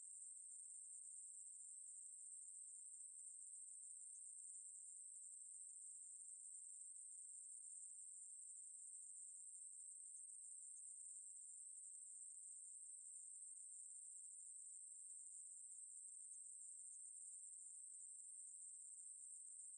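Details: Maebu-ri, the Ruspolia katydid, in a 2020 recording from Korea's National Institute of Biological Resources, sings a long, level, high-pitched buzzing trill that never breaks or shifts in pitch, alone against silence.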